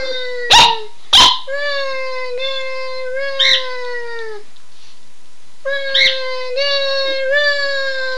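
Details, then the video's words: Two domestic dogs howl in excitement after hearing their owner say "Run Guy run"; long, sustained, slightly wavering howls with rich overtones, opening with two sharp barks, a pause, then howling resumes. "Howling Dogs II"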